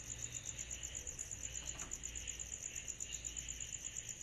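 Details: On a summer night, cicadas give a sharp, evenly pulsed high buzz, the beats regular and continuous, with a quieter hissing layer below and faint low rumble.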